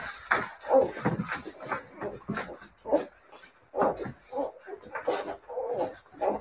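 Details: Whining Siberian Husky puppies: overlapping short, squeaky cries and yips rising and falling in uneven bursts, with brief pauses between clusters and some faint talking.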